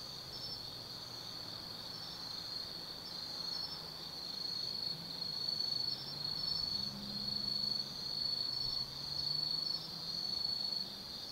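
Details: Night chorus of autumn forest insects at Tsukimi no Mori, Kaizu, Gifu, Japan, overlooking the Nobi Plain: a continuous high-pitched ringing trill that swells and fades in loose pulses, about once a second, with a soft low hum beneath.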